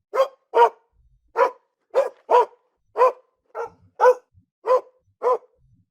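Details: Single dog giving a series of about eleven short barks, some in quick pairs, others spaced half a second apart, clean with silence between.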